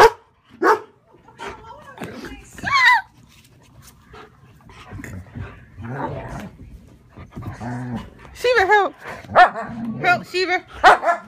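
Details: German Shepherd Sheba guarding her owner against another German Shepherd, Max, at home: sharp scattered barks, then a run of high rising-falling yips and whines near the end, with human voices talking between them.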